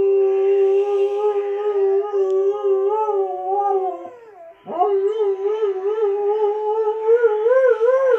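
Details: Hakyra, a female Alaskan Malamute, howls in a long, sustained, wavering tone with rich harmonics. The howl wobbles up and down, dips and breaks briefly near the middle, then resumes with a rising, quavering pitch.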